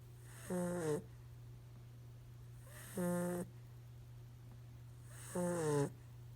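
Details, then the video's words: Holly, a five-month-old puppy, snoring through her afternoon nap: three drawn-out, buzzy snores with rich harmonics, each about half a second long and spaced roughly two and a half seconds apart, over a steady low electrical hum. "Puppy Snoring"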